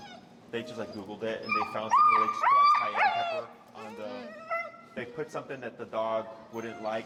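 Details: Finn, an extremely vocal dog working on come-when-called recall training with an e-collar in Chicago, lets out high, wavering whines and short yips, with a person talking underneath and around the cries.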